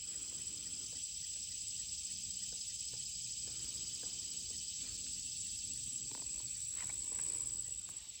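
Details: Crickets and other insects form a steady, shrill, dense chorus with a few faint clicks and taps, along with a woodpecker and chirping birds, at Lumber River State Park, Princess Ann Access, Orrum, North Carolina.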